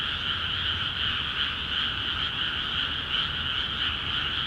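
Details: A dense croaking chorus of frogs fills newly flooded rice fields in Akiha Ward. The rapid calls overlap into a continuous high, bright throb with a lower pulsing layer beneath, unchanging across the short stretch.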